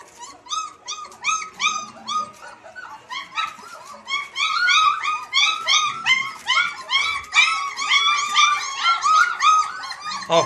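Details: German Shepherd giving a rapid series of high, harmonic-rich whines and yelps, each rising then falling, about two to three per second, growing louder and more crowded toward the end, indoors.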